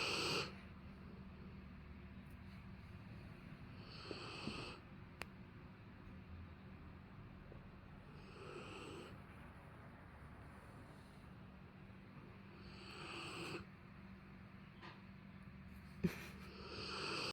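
A sleeping Rottweiler snores with slow, breathy rasps about every four and a half seconds.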